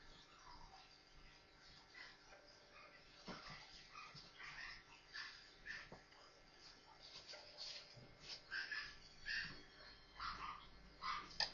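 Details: Four newborn Maltese puppies playing together indoors, giving faint, thin high squeaks and whimpers, sparse at first, then clearer short peeps near the end against a low steady hiss.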